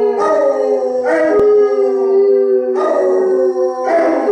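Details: Two Basset Hounds, Radar and Otter, and a Bloodhound named Jefro howl together in harmony; drawn-out steady notes overlap while fresh voices join in bursts, one low tone holding beneath throughout, a brief click near the middle.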